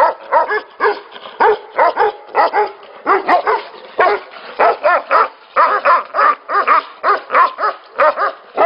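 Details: Barking from Tibetan Mastiffs at a breeding facility: deep, strongly harmonic woofs come in quick runs, often in pairs, with multiple dogs answering one another.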